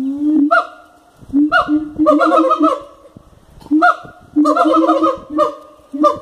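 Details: Siamangs at a wildlife park call with loud, harmonically rich, nasal barks like honking geese, in irregular bursts of drawn-out hoots and quick stuttering runs with brief pauses.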